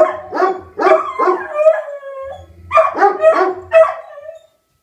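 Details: Tornado siren sets off Rufus the Beagle and Axle the German Shepherd howling: choppy yelping bays run into a drawn-out howl, a short lull, then another run of quick yelps before stopping.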